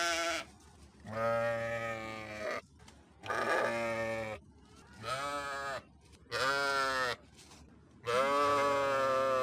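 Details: Repeated sheep bleats, about six in all: trembling, nasal cries roughly a second long, coming close together with short pauses. The last one is held longer.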